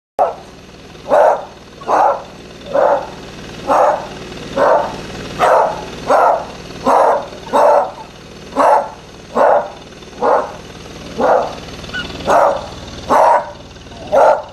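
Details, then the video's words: A Beagle barking steadily, short loud barks repeated about once every second with fairly even spacing, each bark a burst of mid-pitched energy, with no other clear sounds. "Beagle Barking"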